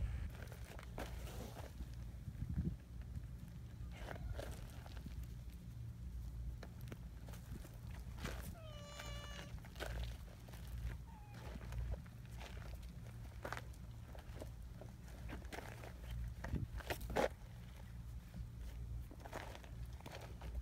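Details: Free-roaming community cats congregating on a mountain path. One clear, rising harmonic meow stands out partway through a long stretch of crunching footsteps and a low background hum.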